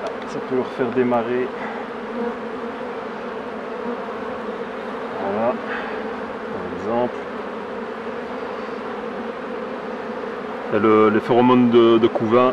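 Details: Honey bees around hives being worked by a beekeeper: a steady, low, droning hum runs throughout, with a man talking in French at the start and again toward the end.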